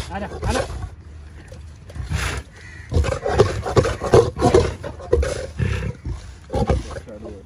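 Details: African lion and lioness at feeding time in a feline section, giving rough, low growling and snarling bursts in an irregular series, louder through the middle, with some harsher broadband noise between calls.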